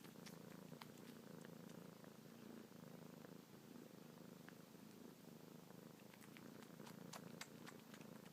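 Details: Continuous low purr from kitten Luna while she suckles on fingers, a habit every night and morning since she arrived; soft clicking suckling sounds come in clusters, denser toward the end.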